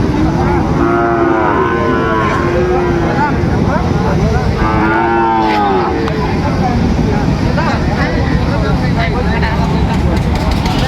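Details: Sahiwal bull calves at the start of trading at Ambari cattle market, Dinajpur, Bangladesh, on 26 September 2025. Two drawn-out, rich harmonic moos arch up and fall, the second after a short pause, over a dense background of crowd chatter and market noise.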